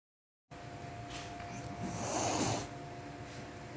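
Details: Domestic cat hissing at the mere smell of another cat on a hand, indoors; one breathy, broadband hiss lasting about half a second in the middle, framed by softer rasping breaths and faint room hum.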